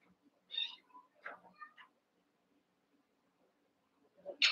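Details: Cavalier King Charles Spaniel puppies at play in a pen of eight, wrestling; a string of short, high squeaky yips and whimpers, bunched together, then a loud shrill yelp at the end.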